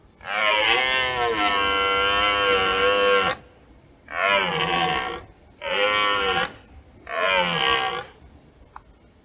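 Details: A rutting red deer stag roars at nightfall on a meadow near forest: a long, harsh roar of about three seconds, then three shorter, grating bellows in quick succession, each separated by a brief pause.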